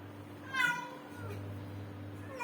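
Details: Female kitten about 7.5 months old, born indoors with her mother, which has been meowing loudly for seven to eight days, is timid and pulls back when touched. One clear drawn-out meow early on, then a fainter one, over a steady electrical hum.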